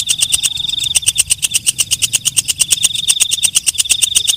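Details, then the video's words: Walang kecek, a night grasshopper, calling with a rapid, even train of dry, high ticking pulses, about nine per second, over a thin steady shrill whine; no other sounds. "Suara Walang Kecek/ Belalang Malam"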